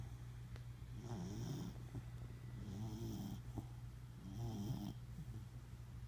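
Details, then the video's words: Snoozing Welsh Corgi called Ryder Rogue gives three rhythmic rattling snores about every one and a half seconds, a low mechanical hum running throughout. "Snoring Corgi"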